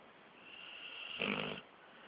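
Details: Jake, a 13-month-old Pit Bull, snoring while asleep with eyes mostly closed; one short raspy, wheezy breath of about half a second, indoors against quiet background hiss.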